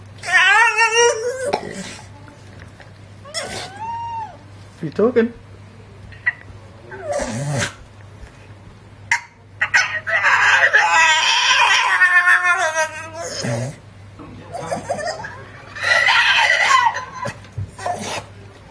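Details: Staffordshire Bull Terrier, a male pet, excited with children around and trying to get a child to share her cupcake: whining, moaning 'talking' calls that bend up and down, with longer noisy, grumbling outbursts, while people talk and laugh nearby.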